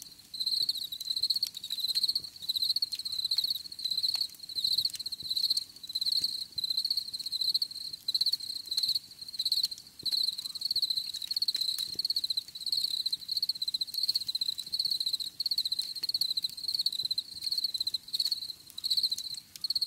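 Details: Relaxing cricket sounds: a persistent high, buzzy chirp pulsed in regular short bursts, continuing across the whole stretch with small pauses and faint ambient hiss.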